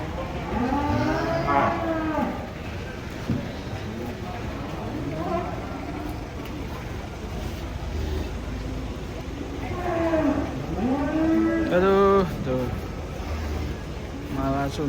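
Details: Cattle unloaded from a truck in Indonesia moo repeatedly, with several arching, harmonic bellows from more than one animal across fifteen seconds, over rumbling background noise and occasional clicks.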